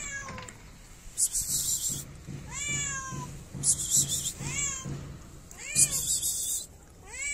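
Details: Shy stray cat in a Moroccan city asking for food while not trusting people: repeated short arched meows, about one per second, over a low steady hum and bursts of hissing noise.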